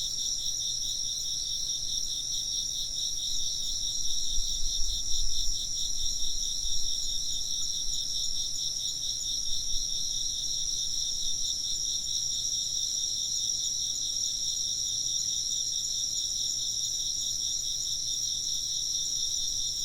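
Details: Chirping insects fill a Japanese ambient recording with a steady, dense high chorus. Rapid pulsing trills overlap without pause, while a brief low rumble rises midway.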